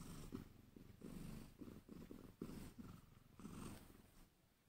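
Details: Low purr from a Sphynx cat as a tiny female kitten, Angel, gets help to nurse; coarse rumbling pulses come in quick bursts close to the microphone, fading slightly toward the end, in a small room.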